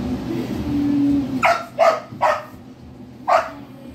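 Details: Saint Bernard barking: four strong, deep barks, three in quick succession and one after a pause, over a low background hum with a faint voice at the start.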